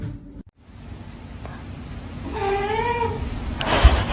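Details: Domestic cat from a funny cat compilation: a single drawn-out, wavering meow that rises and falls, set against a low room rumble and ending in a short burst of noise.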